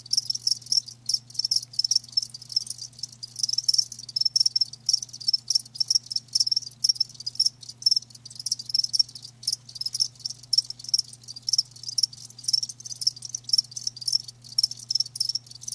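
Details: Shrill, high chirps from live crickets pour out in rapid, irregular bursts with short silent breaks, a faint low hum running beneath.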